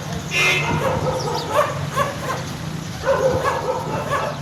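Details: Stray garbage dogs give short, clipped barks in small groups of two or three over a low, constant hum, with a brief burst of noise near the start.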